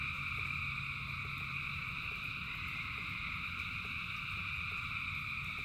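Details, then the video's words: Frogs singing in rain, a vast chorus forming constant high buzzing bands without pauses, with a low hum and rain patter underneath. "Frogs in Rain 2 Hours of Frogs, Thousands of Frogs Singing"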